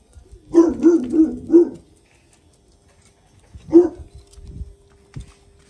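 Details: Jack Russell Terrier barking while teaching her son a lesson: a quick run of four sharp, yappy barks, then a single bark after a pause, with a faint steady hum in the background.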